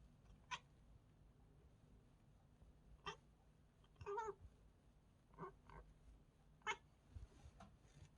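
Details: Indoor cat making strange sounds on seeing a bird: a few short, sharp chirps and chatters spaced irregularly over several seconds, quiet in between.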